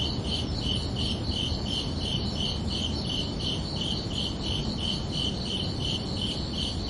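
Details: Chorus of crickets at night in summer: shrill pulsed chirps repeat at an even pace, around two or three a second, while a broad low hum fills the background.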